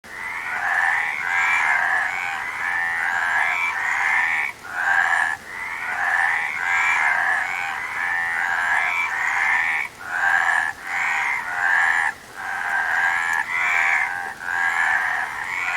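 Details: Frog chorus of many overlapping callers, a dense, rattling, mid-pitched croaking that runs almost without a break and dips into short lulls about every second or two.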